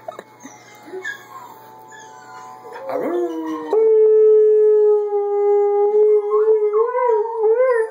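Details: Dogs, a Border Collie puppy, an adult Border Collie and an Alaskan Malamute, howling while playing: after quieter yelps, a long steady tonal howl holds level, then wavers and rises in short wobbling notes at the end.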